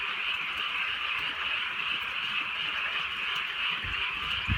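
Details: Frogs on a rainy countryside night produce a thick, steady trilling chorus. A couple of low thuds come near the end.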